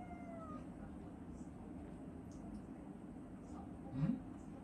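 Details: A pet cat gives a soft, drawn-out meow that falls in pitch over about half a second. It is calling to its owner while he eats a meal, before climbing onto him. Faint indoor background hum, then a brief knock.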